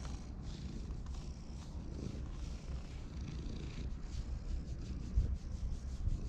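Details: Purring from a park community cat enjoying being petted, recorded with a GoPro HERO8; a soft continuous low drone under faint outdoor hiss, with a couple of small thumps near the end.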